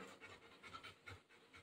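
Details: Golden Retriever back indoors after playing outside in the rainy season, soaked from the rain; quick breathy panting pulses in a short burst, close to the microphone.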